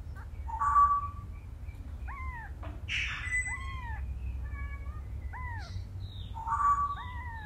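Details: Mother cat carrying and rescuing her kitten. Clear arched meows repeat roughly every second, some bending down at the end. A brief rustling burst sits in the middle over a low hum.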